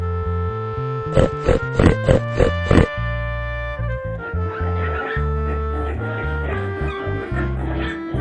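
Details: Pig. A piglet makes about six short, gruff oinks in quick succession, roughly three each second. Sustained background music plays throughout and carries on alone after the grunting stops.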